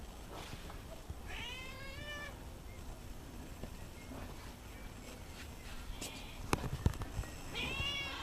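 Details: Domestic cat named Ciccu, recorded in 2015, gives a drawn-out harmonic meow near the start that rises then falls. A second shorter meow closes the segment, with a quiet room hum and a few sharp clicks between.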